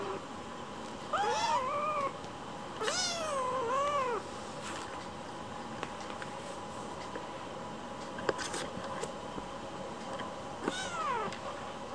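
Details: Shou, a rescued baby kitten wanting attention, strikes cute poses to appeal for play. Two drawn-out, bending meows come close together early on, and a single one follows later, over a steady background hum.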